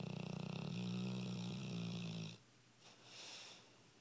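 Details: Female Dogue de Bordeaux snoring indoors: a deep, rattling, buzzy snore lasting over two seconds, then quiet, breathy exhales.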